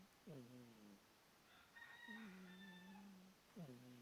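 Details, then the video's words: Pet cat Bonderez snoring: three low droning snores, each opening with a quick downward slide into a steady hum about a second long, with a faint higher whistling tone in the middle. "My cat Bonderez snoring"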